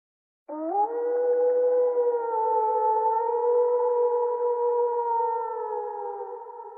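Wolves howling together, long sustained tones that rise at the start and hold steady.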